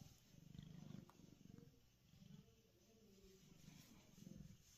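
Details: Happy pet cat Pearl lying on a concrete basement floor; a soft low purr swells in repeated bursts roughly every second, rising and falling with her breathing, with quiet room hiss behind.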